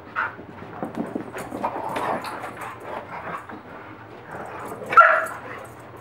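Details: Dogs and a puppy playing roughly, one bullying another; short whimpering yips and soft grumbling vocalizations scattered through, with a sharper louder yelp near the end.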